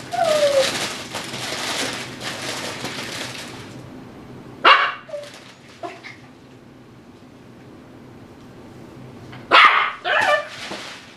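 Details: Eight-week-old Tibetan Terrier puppy Dhali plays in an x-pen with chew toys. A thin whine opens, then a few sharp, isolated barks break long quiet stretches, the last two close together.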